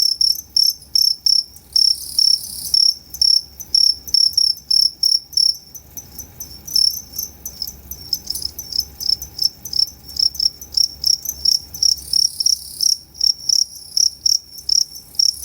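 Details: Two-spotted crickets at Tama Zoo, 29 September 2015, showing two different types of calls: loud high chirps repeated in a rapid steady series, briefly merging into denser buzzy stretches before returning to regular pulses.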